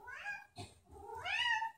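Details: Sam, a pet cat, crying indoors at night because owners went up to bed without him: a short meow followed by a longer rising-then-falling wail, with a brief knock between them.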